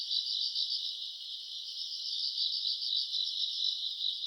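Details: Grass insects on a summer night, recorded around August, singing in a bright high-pitched chorus that pulses about four times a second in a rolling, shimmering trill, with no other sounds clearly heard.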